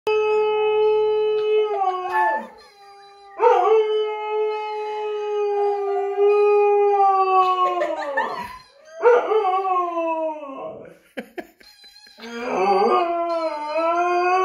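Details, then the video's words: Siberian Husky howling along to a squeaky toy: long sustained harmonic howls, steady or gently falling, broken by brief pauses, with a wavering, yodel-like stretch near the end. "Husky howling"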